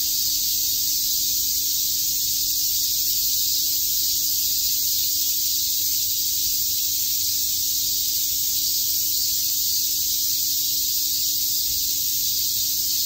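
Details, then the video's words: Cicadas fill a summer day at Shakujii Park in Tokyo with an even, intense, high-pitched droning buzz that never pauses, with almost no low sound beneath it. "Cicada chirps"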